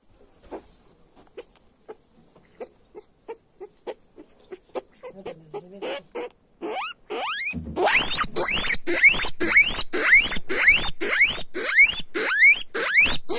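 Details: Guinea pig squealing: soft, faint clicking chirps through the first seven seconds, then loud rising whistled squeals repeated about twice a second until the end.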